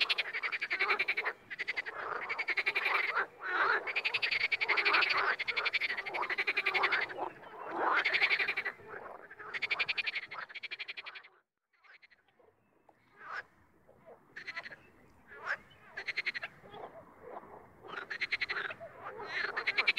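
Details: Wild frogs giving pulsed, rattling croaks in overlapping bursts, loud for the first ten seconds, then a quiet gap followed by sparser, scattered calls.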